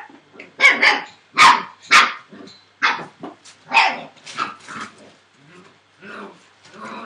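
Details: Litter of 41-day-old Entlebucher Mountain Dog puppies, born 28 December 2013 to Shadow and Falk vom Kornried, giving rapid high-pitched yapping barks, nearly two per second, tapering into softer whiny yips.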